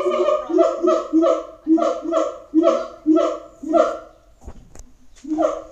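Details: Siamangs at Auckland Zoo give a loud booming call series: about a dozen barking, harmonic notes pulsed in quick, slightly uneven rhythm, a short break with a faint knock, then the calling resumes.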